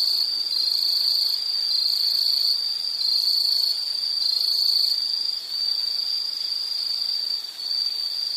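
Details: Insect chorus in a nature soundscape: a steady, high-pitched shrill trill holds one pitch throughout, with faint pulsing and two brief dips in loudness, and no other clear sounds.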